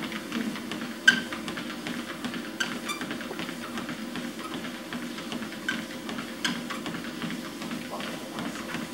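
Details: Soft background music in a small room with low talking and a few sharp taps; no animal voice can be heard.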